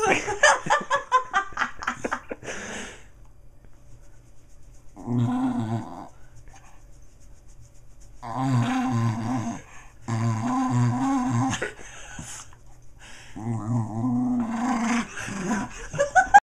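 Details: A three-legged pet dog, a female, makes odd grunting, rumbling noises as her belly fat is jiggled by hand, likened to a taun taun; low throaty bursts come in several runs, with laughter and handling sounds between them indoors.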